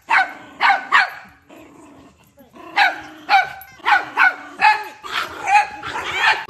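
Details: An angry dog barks in rapid clusters, three quick barks, a brief lull with low growly noise, then about seven more harsh barks in close succession.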